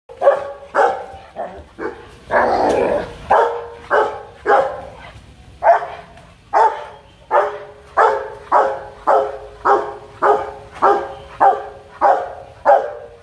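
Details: Rottweiler named Loki in an aggressive fit, barking demandingly and threateningly: loud, deep, gruff barks of even strength, about twenty in thirteen seconds, coming in a steady rhythm roughly every half second to second, with a brief rougher, noisier outburst early on.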